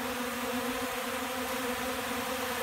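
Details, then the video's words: Hungry honey bees gathering at a hand-held feed of cornmeal, powdered milk and cracked corn, December 29th at about 70 degrees: a dense, steady, droning hum with even loudness. "Hungry Bees"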